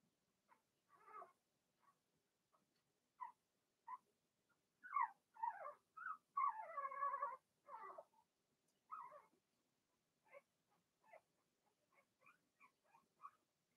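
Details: Indoor pen of six young Blenheim Cavalier King Charles Spaniel puppies, one litter: a busy run of thin squeaks, wavering whines and a longer drawn-out cry near the middle, irregular and overlapping, some soft and distant, others loud and close.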